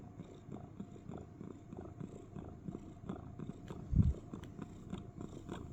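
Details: Domestic cat snuggled in a box giving a cricket-like purring, deep and pulsed at a quick steady rhythm, with one louder low thump near the end.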